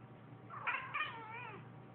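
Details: A domestic cat gives a short, bright meow that wavers and then slides downward, meowing in response to its owner sneezing.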